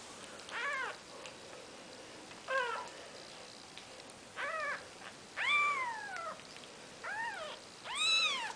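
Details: Newborn Maine Coon kittens, four days old, giving shrill rising-then-falling mews spaced a second or two apart against a steady background hiss, the last calls louder and higher.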